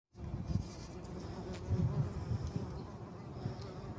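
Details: Bumblebee among poppies, buzzing low and droning, wavering in loudness as it moves, with soft wind and outdoor rustle behind.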